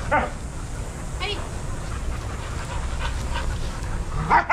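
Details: Adoptable shelter dogs playing together at a daycare; a sharp bark opens the moment and another closes it, with a low steady rumble of background noise between them.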